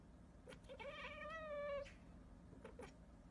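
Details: A single domestic cat meow lasting about a second, rising at the start and then holding a steady, slightly falling tone, with soft clicks and taps before and after in a quiet room.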